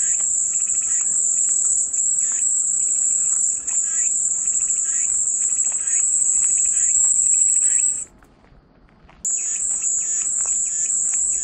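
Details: High, unbroken cicada buzzing for calm white noise. It fills eight seconds, breaks off abruptly into a brief hush, then starts again at full strength, with faint repeated chirps in the background.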